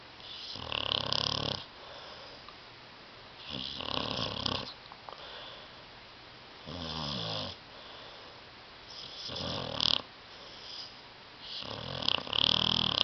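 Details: Sleeping dog Tyson snores on a love seat, loud harsh rasping breaths roughly every two to three seconds, five or six snores in a row, some with a throaty rattling edge like sleep-talking, in a small quiet room.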